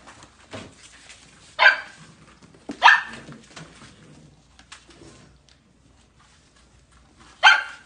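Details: Golden Retriever puppies yapping: three bright, high barks, two close together early and one after a pause of several seconds, over a quiet indoor background.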